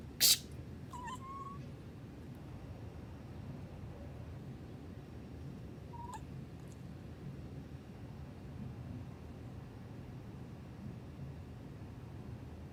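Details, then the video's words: Alana, a playful young female rescue kitten in Hawaii, answers a person's sneeze. A loud sneeze opens, followed quickly by a brief rising chirp-like meow. A second short meow comes a few seconds later against a quiet room hum. "My Cat reacts to my sneeze. くしゃみに反応する子猫"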